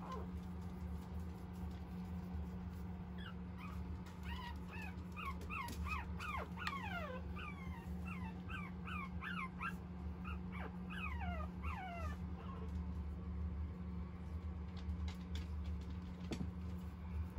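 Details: Large fawn-coloured male puppy; a run of short, high, rising squeaky whimpers repeated rapidly for several seconds, then fading, over a steady low hum and scattered clicks.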